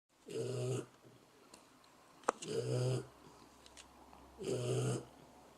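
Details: Sleeping dog snoring: three deep, rasping breaths roughly two seconds apart, each a low rumble with a hissy upper edge, and a sharp click between the second and third.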